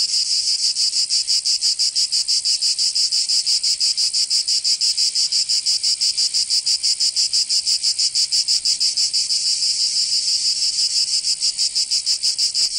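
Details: Cicadas singing in summer in Provence, southern France: a dense, high, buzzy rasp pulsing rapidly and steadily, about three pulses a second, continuous throughout with no other sounds.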